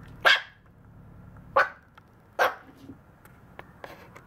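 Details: A 52-day-old Maltese puppy gives three sharp, high yapping barks spaced about a second apart.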